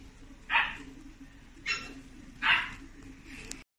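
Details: Young Chiweenie (Chihuahua–dachshund mix) at a pet shop; three short, sharp high yips about a second apart, then a fainter fourth, over a steady low background hum.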